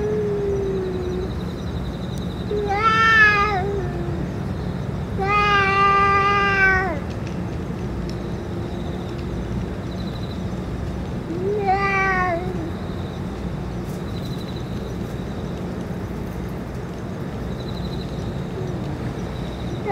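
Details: Stray cats with the boss cat after food and medicine: three loud harmonic meows in the first half, then mostly quiet with a faint low hum, steady background tone and one soft cry near the end.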